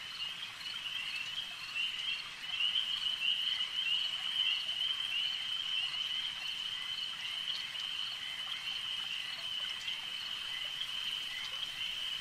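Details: At a lake, many frogs form a continuous shrill chorus, a steady high ringing band that swells slightly after the first few seconds and keeps going without pause over faint ambient hiss.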